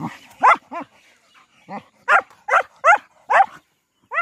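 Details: Saint Bernard playing with local dogs: loud, harmonic barks come in quick bursts, about eight sharp barks in four seconds, some spaced half a second apart, with brief quiet gaps between.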